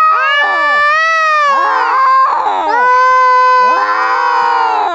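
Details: Kittens in a heated fight give long, drawn-out wailing yowls, steady and tonal with rich overtones, swelling and fading in overlapping waves with brief rougher bursts between them.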